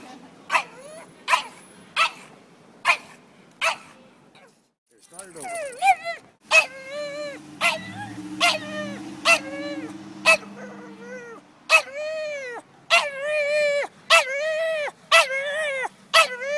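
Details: Dog on a Sunday walk through Old City, protesting at horse-drawn carriage horses a block away: a series of sharp, high, whining yelps and barks with arched tones, some drawn out, and a man speaking briefly in the middle.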